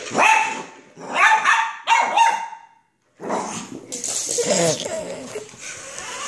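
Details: Poodle worked up by a remote control car, giving three quick shrill barks followed by noisier growly vocalizing mixed with hissing background sound.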